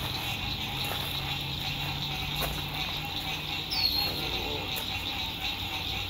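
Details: Springtime frogs singing at sunset by a lake during RV camping in 2021: a continuous shimmering high trill fills the scene, with a steady mid-pitched hum, a brief falling squeak and faint clicks and distant rumble in the background.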